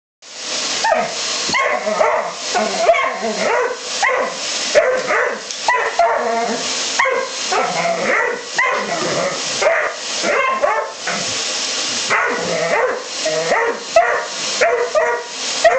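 Loud, rough barks from a Dobermann come in quick succession, mixed with higher yips and snarling sounds. The barking stays intense and nearly continuous, with hardly a quiet gap between bursts.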